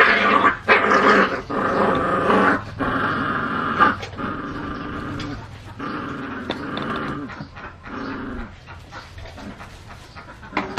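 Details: Puppies in a countryside village growl in rough, sustained stretches, loud at first and then fading into quieter, broken growling toward the end.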